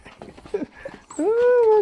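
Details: Pet Miniature Dachshund in a family of four dogs, said to be lonely with no appetite; after soft rustling and brief yips comes a long, steady, nasal whine with strong harmonics, held for most of a second.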